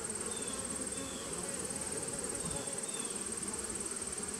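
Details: A continuous, rough droning of massed bees from a nuc colony started in 2017, captured 19 September 2018. The even, low hum never pauses, with a faint steady high whine running above it.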